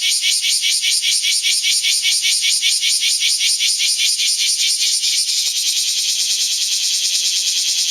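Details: Several bear cicadas singing between rain showers inside the strong-wind zone of Typhoon No. 12: a loud, harsh, buzzing chorus pulsing about two and a half times per second, the rhythm blurring into a steadier rasp near the end.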